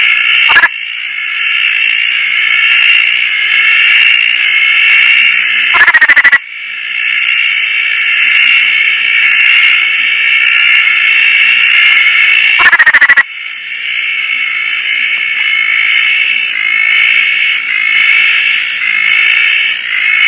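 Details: After rain at Koah, Roth's tree frogs call at night, some resting on a tarp in the breeze: a thick, rapid, rattling chorus, broken twice by loud brief crackling bursts of handling noise.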